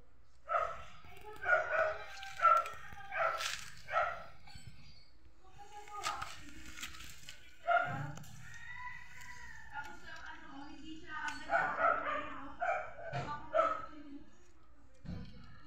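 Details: Repeated short meows from a neighbour's cat, described as not so hungry, come in quick bursts. One longer, wavering meow around the middle is followed by another cluster of brief calls, with soft background noise throughout.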